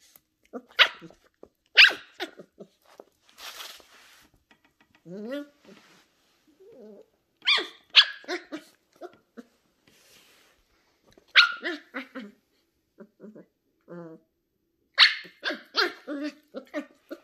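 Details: A 10-week-old female Sheltie puppy named Ollie barks in short high-pitched bursts, with whiny yelps between them, while a person talks to her indoors.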